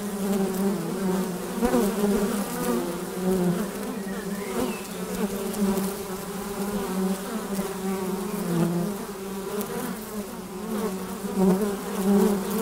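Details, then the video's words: Honey bees coming and going at a hive's flight entrance, a constant low-pitched buzz from many wings, rising and dipping gently as bees fly close and away. "Bienensummen am Flugloch - 5 Minuten das Summen der Bienen"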